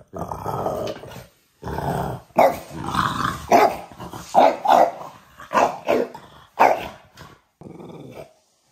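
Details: French Bulldog growling loudly in a series of rough, grumbling bursts, each about half a second to a second long, separated by short silences and rising and falling in strength, with a brief quieter grumble at the end.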